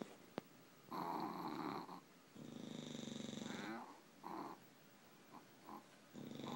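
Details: Sleeping English bulldogs, a pair of tired dogs, give harsh buzzing snores lasting one to one and a half seconds, followed by short snuffling snorts and a brief click at the start.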